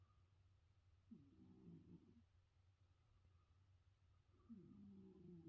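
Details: A sleeping cat snoring, each slow breath a rough, low rasping rattle lasting about a second, with two breaths heard several seconds apart over a steady low hum.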